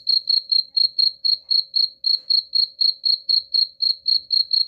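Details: Cricket chirping, presented as a sound for driving rats away: shrill, high, pulsed chirps repeated steadily about four times a second, with no other sounds.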